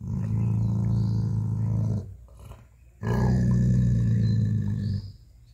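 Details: Jacky, a pet dog, guarding his bone as someone tries to take it away: two long, deep, rumbling growls of about two seconds each, with a pulsing, throaty texture, separated by a short quiet gap.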